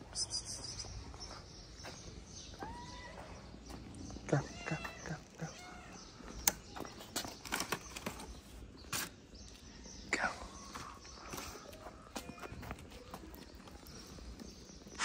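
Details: A homeless tortoiseshell street cat in Morocco, wanting love like the white cat beside it, meows repeatedly in short harmonic bursts, some rising then falling. Sharp clicks, tapping and occasional human voices sound among the calls.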